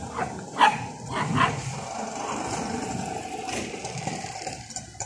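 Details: Street dogs fighting at a park: two sharp barks early on, then a rough, growling scuffle over steady background noise.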